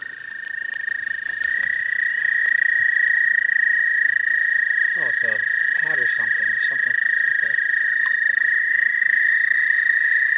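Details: American toads trilling in spring, a sustained high buzzing tone that rises slightly in pitch early on and then stays level, with several short stretches of people talking in the middle.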